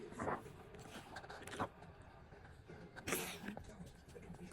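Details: A rescue husky-malamute indoors gives three short, talkative throaty grumbles and yips, part whine and part groan, each rising then falling, about one to one and a half seconds apart, over faint room noise.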